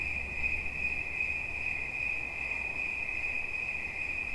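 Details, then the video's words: Cricket in a relaxation sound recording: a steady, high-pitched ringing trill runs unbroken through the whole stretch, over a soft low rumble in the background. "Świerszcz. Dźwięki relaksacyjne"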